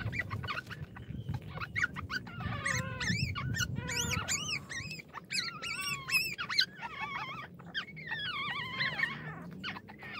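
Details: Hungry small puppy whimpering and whining: rapid runs of high, arching cries that rise and fall, coming in quick clusters with short gaps, over a low rumbling background.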